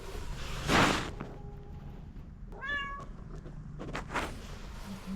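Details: Pom pom, a street cat, meowing insistently to ask for food: a single clear rising-then-falling harmonic meow near the middle, with a loud thump before it, other knocks after, and a woman speaking fondly around it.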